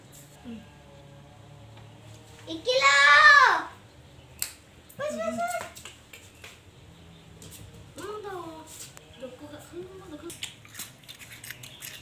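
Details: Domestic cat described as weird and very cute, meowing indoors: one loud, drawn-out, arching meow of about a second, followed by three shorter rise-and-fall meows spaced a few seconds apart, with faint background voices in a quiet room.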